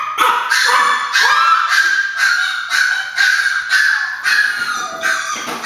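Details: Excited house Chihuahuas expecting their grandma at the door bark steadily, roughly twice a second. Each shrill yap is bright and clipped over a constant whining undertone.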